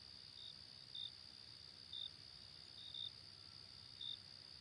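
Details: A grasshopper among plantation greenery gives a high, steady buzz, broken by short bright chirps about once a second.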